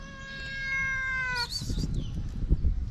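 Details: A mother street cat seeking affection, with her shy kittens nearby, gives one long steady meow of about one and a half seconds, rich in harmonics. Scuffling and rustling noise follow.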